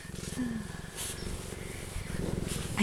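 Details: A very happy cheetah purrs with a deep, steady rumble that pulses rapidly and continuously while people are close beside it.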